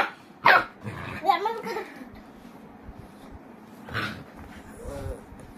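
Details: Boerboel (South African Mastiff) living in Egypt: a loud single bark, some growly grumbling and a later softer bark, mixed with a person's voice speaking.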